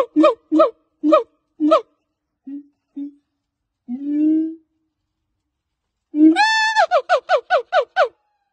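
A siamang gives loud, hoarse hoots, a rising whoop, then a quick run of barking notes.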